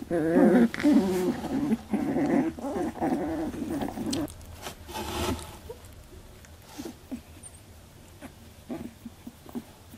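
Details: Eighteen-day-old Labradoodle puppies squabbling over milk in their first milk fight: rough, buzzy growling and whining for the first four seconds, then softer scattered squeaks and snuffling.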